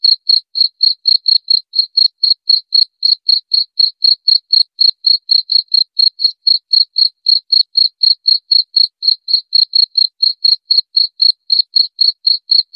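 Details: Continuous cricket chirping meant to scare off rats: a long unbroken train of sharp, high, tonal pulses, about four each second, steady in pitch and loudness for nearly thirteen seconds against total quiet.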